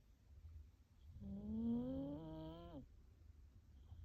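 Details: A sleeping dog named Rin snores with a single drawn-out, engine-like tone that climbs gradually in pitch over about a second and a half, like a car revving without shifting gears, then stops abruptly. A quiet room hum fills the background.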